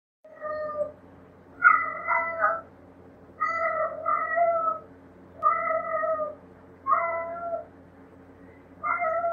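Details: Indoor cat meowing after seeing another cat outside, a series of about six drawn-out, clear, tonal meows, some wavering or bending, spaced every one to two seconds in a quiet room.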